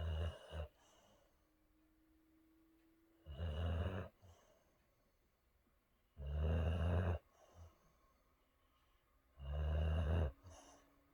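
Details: Rex, a Boxer, sleeping and dreaming: deep, resonant snores come about every three seconds as low rumbling bursts with a faint whistle between them, in a quiet indoor setting.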